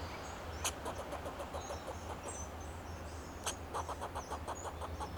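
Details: Fox squirrel calling in alarm from a Monterey pine, Del Monte Forest, California, protecting itself and its territory: loud sharp chuck at the start and middle, trains of quick rhythmic clicks between, faint whistling birds and low engine-like drone.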